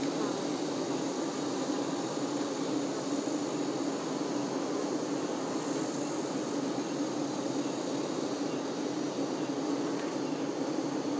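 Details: Steady colony hum as honey bee workers care for their queen: many overlapping wingbeats blend into one unbroken, level buzz, low and smooth, with soft hiss in the treble for the full length.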